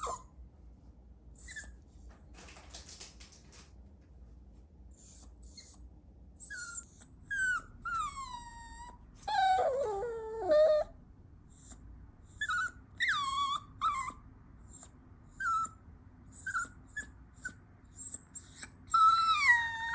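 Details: Indoors, a Chihuahua puppy whines and whimpers in many short, high, falling cries, with a longer wavering moan midway, then rapid yips and squeals.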